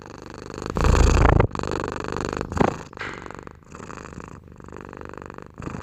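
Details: House cat purring, a pulsed low rumble in breath-length phrases; a loud burst of handling noise near the start, then softer rumbling cycles continue.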